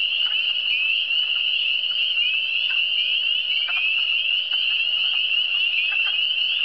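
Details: Dense chorus of frogs from the Eastern Townships, an even, piercing high trill with overlapping callers and occasional lower croaking pulses breaking through every second or so.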